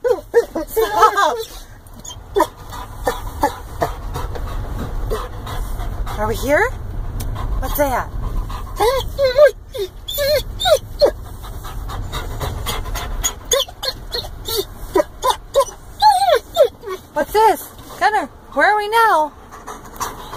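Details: Weimaraner mix dog, overly excited in a vehicle on the road to a cabin, giving repeated high yelps and whining barks in bursts, loudest near the end, over low road rumble and a man's voice calming it.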